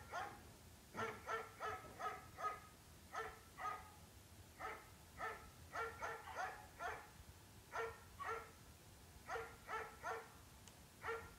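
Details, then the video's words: Dog giving steady, repeated barks in quick clusters of three to five, nearly every half second throughout, over a faint background hiss. "Dog, sounds of dogs"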